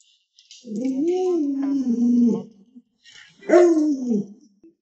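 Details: Alaskan Malamute Lolo, a pet dog at home, makes two wavering, woo-like howls, the first long with a rising-then-falling contour, the second shorter after a pause, amid family chatter.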